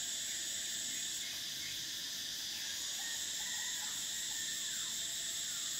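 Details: Summer cicadas keep up a loud, steady high whine, one top band dropping out early, while faint lower chirping notes sound intermittently beneath the drone.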